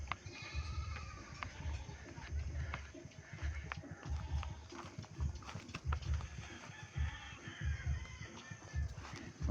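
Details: Several pregnant goats kept by their owner, recorded at feeding time after fodder is put out; low, rough bleats come in a loose series about every two seconds, with rustling and handling noise throughout.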